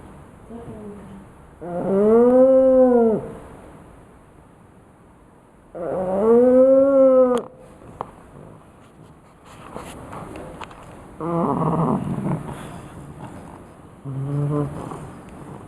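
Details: A pug snores loudly, each breath a drawn-out, whistling moan that rises and falls.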